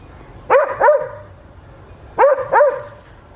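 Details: Adriano the West Highland White Terrier barking in a village garden in Hoat Wala, South Punjab, Pakistan, on a winter morning: two pairs of loud, quick double barks separated by a pause of over a second.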